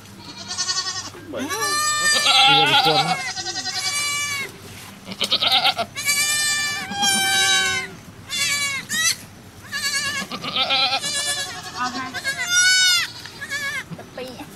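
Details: Goats at a cow farm during a birth, a newborn kid present: repeated strident bleats, many rising then falling, come in rapid overlapping bursts over nearly fifteen seconds, some brief and clipped, others drawn out and trembling.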